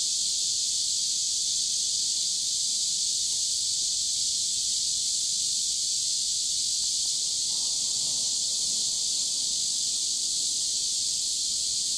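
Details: Cicadas in full song beside a river in hot summer weather: a continuous, piercing, evenly sustained buzz fills the whole stretch, with a faint lower rustle briefly rising around the middle.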